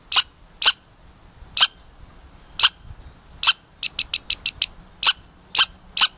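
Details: Squeaky red squirrel calling with sharp, piercing squeaks spaced about a second apart, broken midway by a quick run of five shorter squeaks, then more single squeaks.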